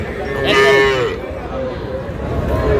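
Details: Small Sahiwal calf purchased by a Shariatpur farmer on 11 August makes one short, mid-pitched moo of about half a second. Low rumbling background and faint voices fill the remainder.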